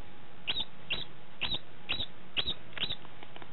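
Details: Degu calling after mating: short sharp chirps with a clicky onset, repeated roughly twice a second at slightly uneven intervals, against a quiet, steady background.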